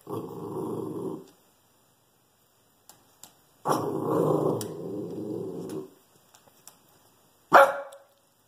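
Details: Shih Tzu. A Shih Tzu gives two drawn-out, throaty growls with a steady rumble, separated by a pause. It ends with a single short, sharp bark meant to warn off a squirrel.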